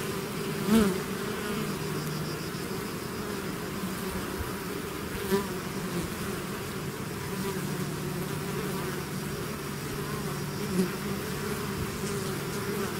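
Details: Swarm of bees emerging from the hive: steady low drone of many wings, with three short louder buzzes as single bees fly close past, around one, five and eleven seconds.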